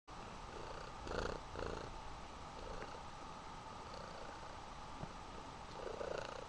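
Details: Mother cat, once a feral street cat adopted while pregnant, hugging her baby kitten indoors: a steady low purr runs throughout, broken by a few short rustling bursts.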